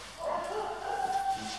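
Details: American Staffordshire Terrier giving one drawn-out, high, steady whine lasting over a second, slightly nasal, over faint background hiss.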